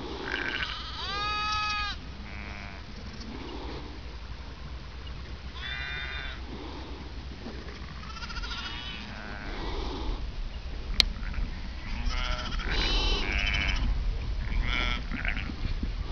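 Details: A gang of one-week-old Merino lambs running and playing in NSW, Australia, their mothers running along with them. Many quavering, tremulous bleats are repeated at irregular intervals, some overlapping, over a constant low rumbling background.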